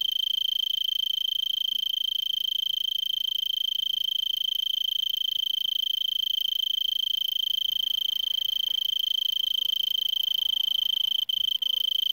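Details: Arizona tree cricket calling from a brittlebush at 3300 ft elevation in Vail, Arizona, December 26 about 5 PM, roughly 70 °F; unbroken high ringing trill, faint low rustling and a couple of brief dropouts near the end.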